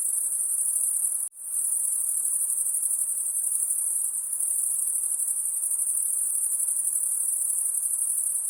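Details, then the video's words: Insects calling at night in a sustained high shrill trill that cuts out abruptly for a split second early on, then resumes steadily to the end. "High Pitched Insect Noise At Night"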